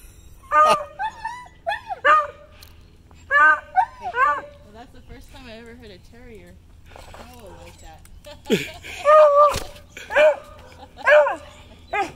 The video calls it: Hobbes the Wheaten Terrier and Happy the Beagle Howling